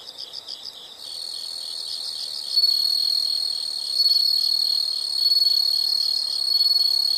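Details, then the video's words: Insect chorus in a nature sound recording: soft quick pulsed chirps open, then a louder continuous high trill with bright overtones rises and holds, swelling in gentle waves roughly every one and a half seconds. "the sound of insects"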